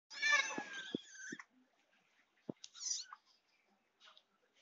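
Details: Kitten, one of four eating dry fish, gives a loud drawn-out harmonic meow lasting over a second, then short clicks and faint smacking sounds, with a brief higher mew near the middle and quiet indoor background.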